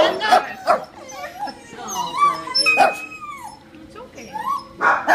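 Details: Elderly neutered male tricolor Shih Tzu at an animal shelter, about 13 years old: short yipping barks at start and end with rising and falling whimpers and whines between, mixed with a person's voice.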